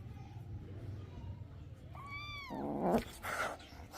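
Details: A kitten drinking milk lets out one clear, thin mew that rises briefly and then slides downward, followed by rustling and handling noises.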